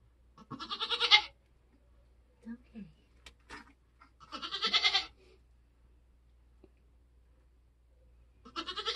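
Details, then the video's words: Birthing Nigerian Dwarf doe on a homestead, kidding season: three strained, quavering bleats about four seconds apart, with brief soft human voices and a few clicks in the gaps. "nigerian goats being born start to finish"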